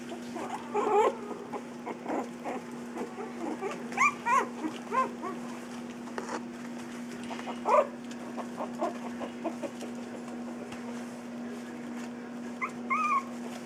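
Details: Three-week-old puppies at play give scattered short whimpers and squeaky yips, some arched and rising, spread through the recording over a steady low electrical hum, with quiet gaps between bursts.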